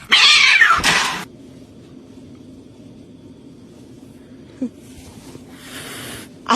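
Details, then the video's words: Mother cat, confronted while guarding, gives one loud harsh yowl with a falling pitch lasting about a second, then near silence with faint room hum and a small click before a brief noisy burst at the end. "Never chalenge a cat mom"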